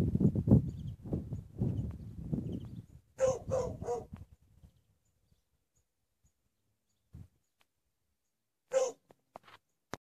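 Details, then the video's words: Dogs barking at Rimutaka Prison: after a few seconds of low rumbling noise, a quick run of three sharp, harsh barks, then quiet, then a single further bark and a faint click near the end. "Dogs barking at Rimutaka Prison"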